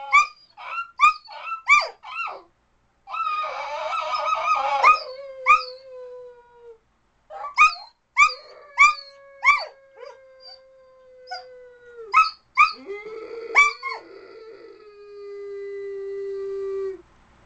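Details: Dog alternating bursts of short rising yips with several long howls, each held steady for one to two seconds before trailing off; loud, insistent and repeated over the whole stretch.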